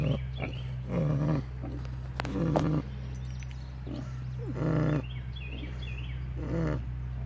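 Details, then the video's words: Sleeping pigs snoring at David Crockett Birthplace park: low, rough, rumbling snores in bursts about every two seconds over a steady low hum, with faint high chirps in the background. "Snoring pigs"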